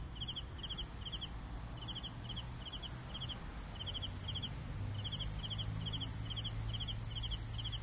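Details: Crickets sounds for sleeping: evenly spaced pulsed chirps, some paired, about three per second with a brief pause midway, over a continuous high shrill trill and low background hum.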